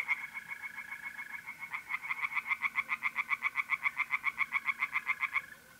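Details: A tree frog's call swells into loud, regular pulses, about four per second, beside a pond at night in mid-April, north-east Italy; a softer frog and a continuous mole-cricket trill fill the background.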